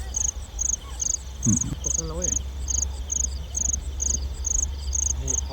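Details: Rice-field crickets at night, around 9 to 10 pm, heard while they are caught by torchlight. Bright, high chirps pulse steadily, roughly two per second, with a low hum underneath and a short murmur of speech.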